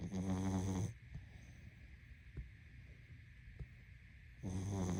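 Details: Sleeping pug: a rough snore fades at the start, a quiet pause of breathing and faint ticks follows, and another buzzy low snore begins near the end over a constant hum.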